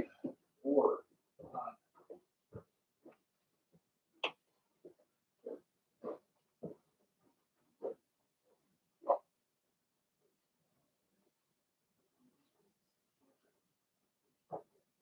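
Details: Blenheim Cavalier King Charles Spaniel puppies, Remy's litter, indoors in their pen while being potty trained. A busy run of short grunts, squeaks and snuffles comes roughly every half second, thinning out into silence with one last squeak.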